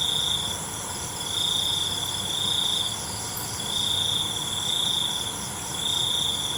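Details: Night-time cricket chorus with a bright, even trill that rises and fades in long pulses, some lasting over a second, set against a continuous high hiss of further insects.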